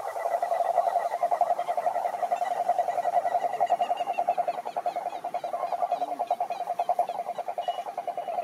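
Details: Wild cururu toads (Rhinella marina) chorus at a lake in Brazil's Atlantic Forest: a dense, steady, low purring trill of rapid pulses runs unbroken throughout, with overlapping callers and faint higher chirps above.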